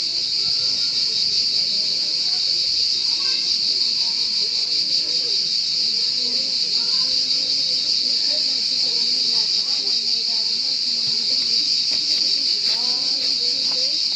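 A cricket gives a steady, high, shrill trill that runs unbroken from start to finish.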